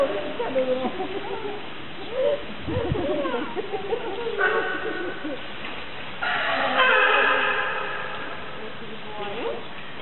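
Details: California sea lions at Opole Zoo: after people talking, two loud, rich, horn-like honks, one short and one longer and drawn out, rise over the crowd murmur.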